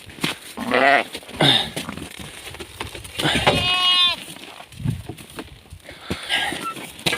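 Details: On a farm, a Hissar ewe that has just lambed is kept with her newborn lamb in a warm spot, an old bathhouse. A single wavering, nasal bleat lasting about a second rises out of a man's talk and handling noises.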